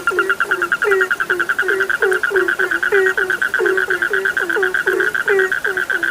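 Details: Frog chorus recorded for sleep: many overlapping short calls that drop in pitch, repeated several times a second, over a steady high trilling drone of more frogs.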